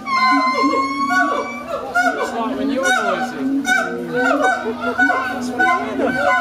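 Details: Several howler monkeys at Twycross Zoo in the UK howling very loudly: overlapping, wavering, harmonic calls rise and fall continuously in a dense chorus throughout, with no pauses.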